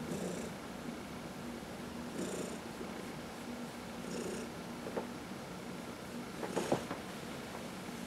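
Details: Domestic cat under massage giving a low continuous purr with a few breathy swells, plus small clicks and rubbing noises near the end; one of four pet cats including senior adoptees Heidi and Dinah.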